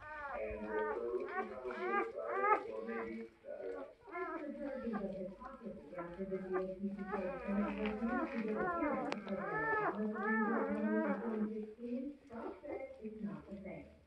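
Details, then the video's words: Several newborn German Shepherd puppies squeal and whine in a small indoor space, with rising-then-falling cries clustered in bursts and a human voice murmuring throughout, louder near the middle. "Ana with her newborn German Shepherd puppies"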